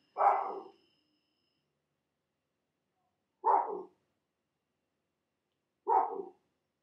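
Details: At night at a camp in Africa, baboons give alarm calls, warning each other of a leopard prowling the camp: three harsh, hoarse barks spaced a few seconds apart; a hyena is probably also heard.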